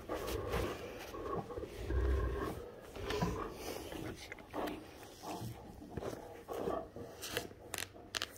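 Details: Great Danes named Rhapsody and Wächter playing indoors on a morning, tugging over a shirt, giving rough, rumbling play growls in uneven bursts, with a person talking quietly.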